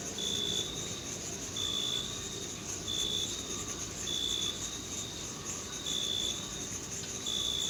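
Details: A cricket in a meadow in June, summer, gives steady, high, pure-toned chirps, each about half a second long, over a hissing insect chorus.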